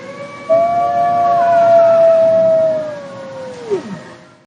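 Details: Wolf howl rising sharply onto a clear, steady, fairly high tone held for over two seconds, then dropping quickly in pitch as it fades out, over a low, quiet background.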